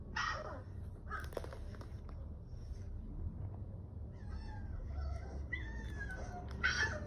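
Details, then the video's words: A two-month-old female Siberian husky puppy, hearing other husky puppies howl for the first time, gives thin, high, wavering howls that break into short yelps over a low hum. "Baby husky reacts to other baby huskies howling for the first time"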